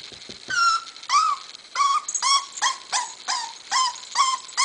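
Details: Butterball, a seven-week-old puppy, tries to go down the stairs. He gives high, whining whimpers that fall slightly in pitch and repeat about every half second.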